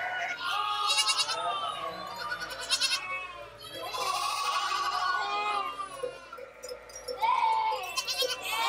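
A goat bleats in long, wavering, nasal cries, with a brief pause between calls.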